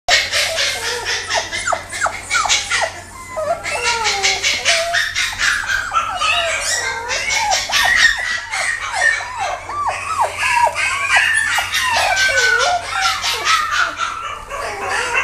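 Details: Male long-haired Kaninchen Dachshund, chocolate and tan: a stream of shrill, rapidly repeated puppy squeals and yelps, each sliding up and down in pitch, almost continuous for fifteen seconds indoors.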